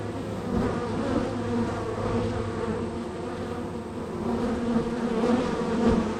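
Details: Very active honey bee colony at hive number three, bees entering and departing; a continuous low buzzing drone with pulsing swells and brief louder passes of individual bees near the end.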